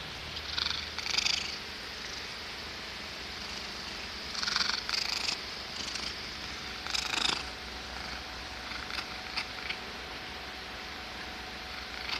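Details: Pet cat making weird noises and sneezing: three or four breathy, raspy snorts spaced a few seconds apart, each a brief hissing rush of air, with quiet stretches between.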